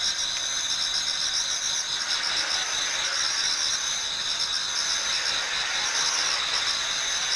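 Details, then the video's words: Chorus of autumn insects in a Japanese garden as dawn approaches, a dense continuous high shimmer of overlapping trills and buzzing tones holding steady throughout, with a faint hiss beneath. "Autumn Insects voice Towards dawn"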